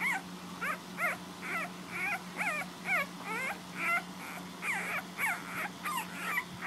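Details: Puppies feeding from their mother indoors make squeaky, bending whimpers roughly once a second, each swooping up then down, with a faint steady hum underneath.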